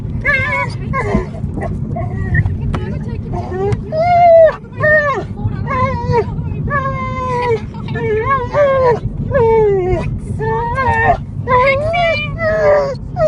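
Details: Dog crying inside a car: a string of short, high, wavering whines that rise and fall, coming in quick bursts over a steady low rumble of the moving vehicle.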